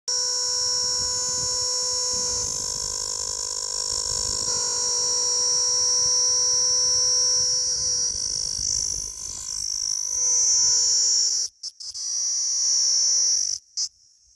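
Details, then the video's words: An insect said to call throughout the night gives a steady, shrill, high-pitched ringing buzz that runs without pause for about eleven seconds, then breaks off briefly twice before resuming, with faint low hum beneath. "रातभर आवाज करने वाला कीड़ा"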